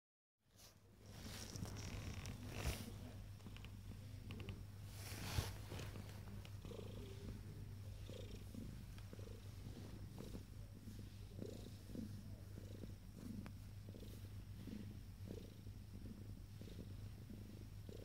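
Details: Ten-day-old kittens purring: a steady low rumble runs unbroken for the whole stretch, overlaid by faint soft squeaks and occasional rustling and handling noises.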